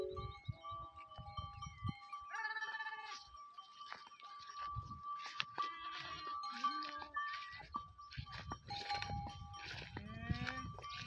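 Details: Goats on a goat farm in the Tharparkar desert area of Thar, near Karoonjhar, kept with sheep; several harsh, wavering bleats overlap, louder near the end, over a steady droning tone, music-like background and faint chirps.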